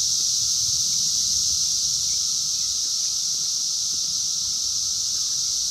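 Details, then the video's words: In the wild during the 2021 Brood X emergence, 17-year periodical cicadas fill the air with a steady piercing hiss and underlying drone, recorded on a phone, with faint scattered clicks beneath. "sounds of 17 Year Brood X Cicadas 2021 in the wild"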